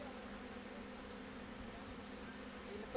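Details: Kept honey bees at box hives on a Bangladeshi bee farm, giving a continuous even low-pitched hum with no breaks, and no other clear sounds.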